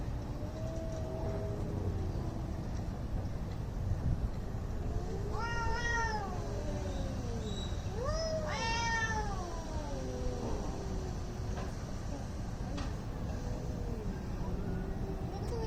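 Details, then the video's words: Angry cats squaring off before a possible fight in India, giving long wavering yowls that rise and fall in pitch, with the strongest drawn-out wails bunched in the middle and softer moaning before and after, over a steady low rumble. "CAT FIGHT ANGRY CATS - Making weird noise"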